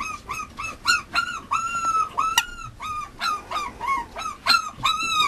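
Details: Mame Shiba Inu puppy, male, yipping in quick sharp bursts with short flat whines between, a steady series of high cries nearly three per second.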